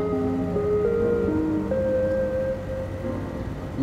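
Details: Soft melodic music of sustained held tones over a low background hum, with no animal voice.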